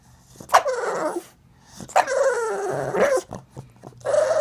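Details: Pug dog demanding more butt scratching after it stops, indoors; loud drawn-out whining grumbles with falling pitch, three long vocal bursts each about a second long, separated by short pauses.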